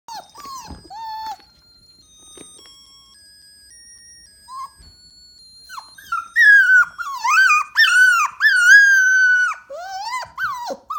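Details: A 7-week-old Shetland sheepdog puppy gives soft whimpers, then long, high, wavering howls, howling along to faint music.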